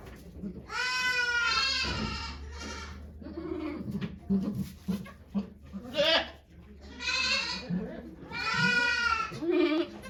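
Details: Okayu the goat giving birth to two kids at Yoshigake Farm, Japan, on 3 May 2023 with volunteers present; repeated quavering bleats, one long cry at the start and several more near the end, separated by chatter from the onlookers.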